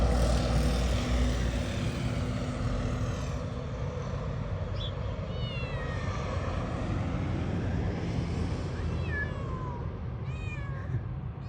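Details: Cat giving a series of short, falling meows in the second half, some rising then dropping, over a constant low engine-like rumble, with people talking nearby.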